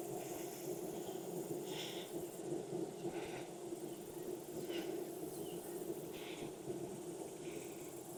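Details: Honey bees at an open hive in Texas during an inspection on a hot day, about 92F with a 104F heat index, after weeks of rain; a steady low hum continues throughout, broken by soft scraping and rustling.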